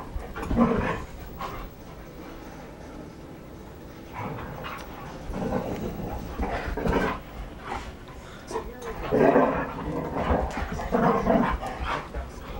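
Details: Three red standard poodles, adult females including a mother and daughter, playing together indoors; short throaty growls and grumbles in bursts separated by quiet gaps, with scuffling and a person's voice.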